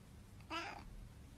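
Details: Domestic cat giving one short meow, a brief harmonic cry of about a third of a second, indoors, while a woman talks to it about its food.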